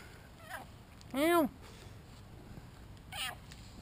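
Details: Shinobi, a two-year-old male British Shorthair cat, meows during play while filmed on a GoPro: one loud rising-then-falling meow lasting about a third of a second, with rich harmonics, and fainter short sounds before and after.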